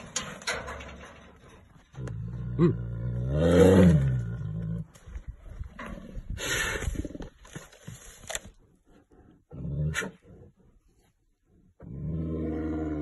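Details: A captive brown bear (Ursus arctos), described as aggressive and kept in a cage, gives a deep, rumbling roar that swells and falls over a couple of seconds.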